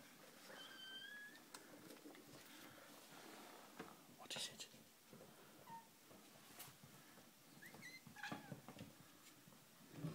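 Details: Five-week-old kittens indoors, their mother tiring of them; several thin, high mews, some rising and some falling, scattered across the clip among rustling, knocking and handling noises in a small room.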